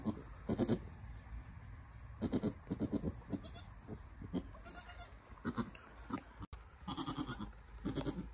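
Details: Nigerian Dwarf mother goat with her newborn doeling during birth and first nursing; clusters of short, throaty low bleats in irregular bursts, a brief dropout near the end, and steady hum underneath.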